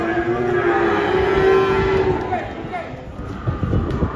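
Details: Cattle being unloaded from a truck in Indonesia, one animal described as angry; a long, steady low moo held for about two seconds, then handlers talking and shouting, with background music and crowd noise.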